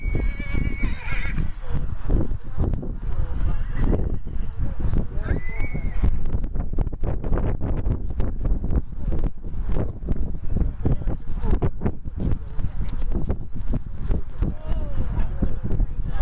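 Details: Two-year-old cremello Welsh Section D Cob stallion, homozygous AA, gives a high whinny over the first second and a brief call near six seconds, followed by steady hoof thudding and people talking nearby.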